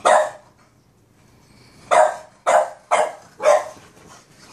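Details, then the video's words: Boston Terrier Peanut barks at his brother Cashew in a quick run of four sharp, bright barks after a lone opening bark and a short pause. "Boston Terrier Barking"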